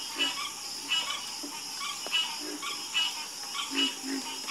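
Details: Frogs croaking in a nighttime chorus, repeated short raspy croaks about once a second with lower knocking notes between them, over a continuous high-pitched background drone.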